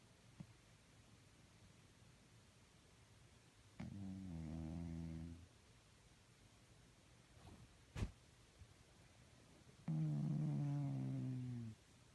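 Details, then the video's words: Snoring from a sleeping cat, two low rattling drones each nearly two seconds long and about six seconds apart, with a sharp knock in the quiet gap between them. "Snoring and sleeping cats makes weird noises"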